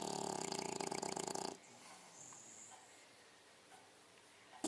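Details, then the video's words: Sleeping six-month-old female English Bulldog snoring; one harsh, fluttering, buzzy inhaled snore lasting about one and a half seconds, then near silence with a faint high hiss in the room. "english bulldog indy snoring"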